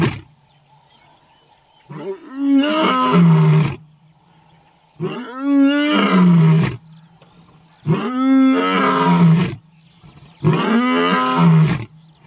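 A lion gives deep, drawn-out roars, each swelling then sliding lower, repeated every few seconds.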